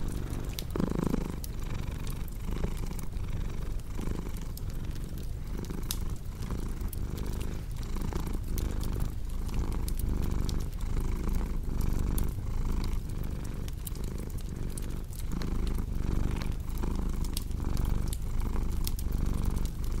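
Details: Purring cat heard as a continuous deep, throbbing rumble rising and falling in breath cycles roughly once a second, set against a crackling fireplace that adds frequent dry snaps and pops throughout.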